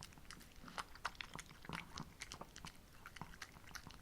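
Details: Brief burst of a pet female Shih Tzu's mastication, one of two sisters named Ssamong and Jinsang snacking on homemade treats in summer; quick crunchy bites come several per second, with louder snaps near one and 1.7 seconds.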